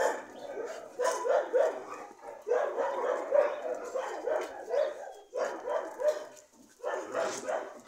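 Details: Dogs yapping in quick clustered barks, two short bouts separated by brief lulls, each bark a sharp mid-pitched yelp with ringing harmonics over a busy, crowded background.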